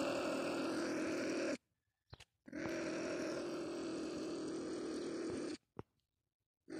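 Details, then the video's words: Trapped marten in a live trap baited with live bait, growling in long, coarse, droning bursts of about four seconds and one and a half seconds. Brief rattling knocks fill the silences. "Куница попалась"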